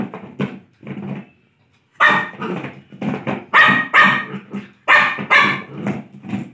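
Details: Lhasa Apso playing, with low grumbly noises, a brief silence, then rapid loud barks in close pairs.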